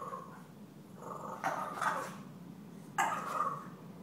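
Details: Stella the puppy, provoked by deaf housecat Gomez, mixes throaty whining growls with two abrupt yapping barks about a second and a half apart.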